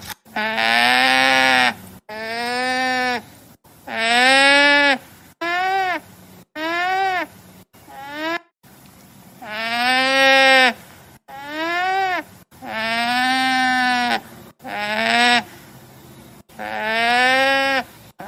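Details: Llama giving a series of about eleven drawn-out, nasal, harmonic-rich calls, each roughly one second long with a gently arching pitch, separated by abrupt cuts and short silences; no other clear sounds.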